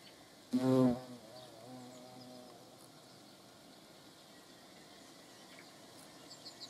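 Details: Hornet flying close by, a sudden loud low-pitched buzzing burst lasting under a second, then a fainter steady drone trailing off as it moves away; faint outdoor background.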